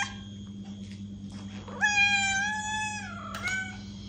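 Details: A cat's long meow, meant to make a listening cat respond: a sudden onset, then a level tone that droops slightly toward its end and breaks into a short second note, over low background hum.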